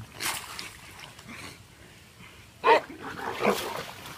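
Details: Dogs in a fight: low grumbling, then one loud, harsh bark or yelp about two-thirds through and a softer snarl after it, with quiet human voices nearby.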